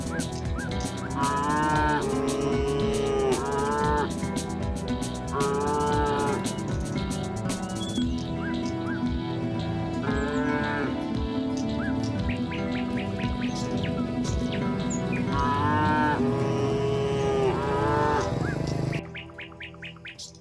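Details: Tame cows being herded in the afternoon give drawn-out, rising and falling moos over a steady bed of background music.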